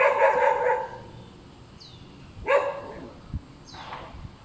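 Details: A hyperactive, noisy dog barking: a long harmonic bark at the start, a sharp single bark near the middle and a fainter one at the end, with quiet gaps and low background rumble between them.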